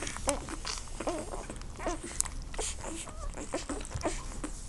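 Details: Young Irish Wolfhound puppies at a kennel in Bulgaria, born 23 June 2013, whimper and squeak with wavering, bending notes about once a second, amid scratchy patter and faint room noise.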